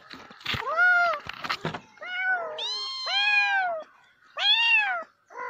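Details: Meowing domestic cat, several overlapping cries in quick succession: clipped meows with a few rough clicks, then longer whining, bending meows and a final loud arched call before a short cut-off one.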